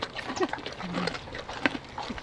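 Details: A young, bottle-raised, tame tapir at the Belize Zoo munches noisily while being fed, with crunchy chewing, soft squeaks and snuffles, as a person talks nearby.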